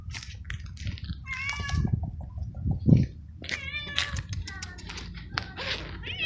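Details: Stray male cat in heat, cared for by a person, meowing when it sees them and getting excited when petted: three short, harmonic, slightly wavering meows spread over several seconds, over low rumbling handling noise.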